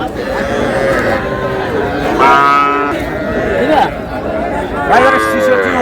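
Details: Young cattle, small bulls and heifer calves, at a livestock market bought by a farmer from Faridpur, Bangladesh, on 15 May: several drawn-out, harmonic moos rise and fall over a steady bustle of men talking and bargaining.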